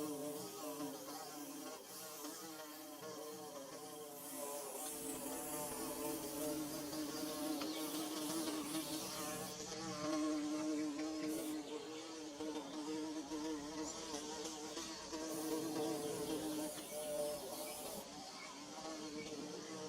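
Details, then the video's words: Bees buzzing around a nest under construction, filmed with DSLR and phone; a long, shifting drone with overlapping wavering tones suggesting more than one flier, over a background hiss that comes and goes. "Bee Buzzing"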